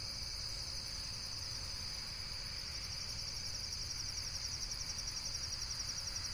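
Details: Insect chorus in a relaxation nature recording: a continuous, high, rapidly pulsing cricket-like trill runs steadily throughout, over a low background rumble.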